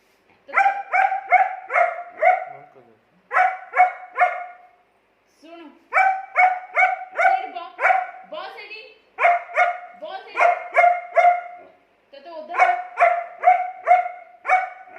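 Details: German Shepherd dog arguing with its owner, barking in rapid bursts of three to five tonal woofs separated by short pauses, continuing steadily for around fifteen seconds.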